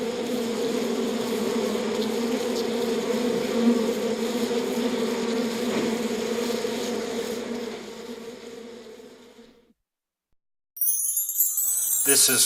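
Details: Beehive hum of honey bees, a thick continuous drone that fades out near the tenth second, followed by a brief silence and then a burst of harsh noise at the end.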